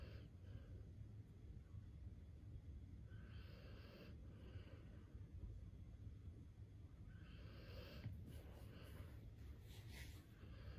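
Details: Akita dog snoring while asleep: soft breathy rasps swelling roughly every four seconds, faint against a steady low hum.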